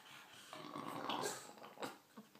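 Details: English bulldog named Alan, indoors, 'having a chat': a rough, breathy grumbling growl swelling through the middle, with snorting breaths and short gaps between bursts.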